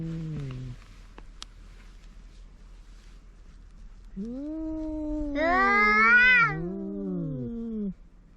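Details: A cat yowling loudly: a short low cry, a pause, then a long wavering howl that climbs into a harsh, strained peak and sinks back down to a moaning finish.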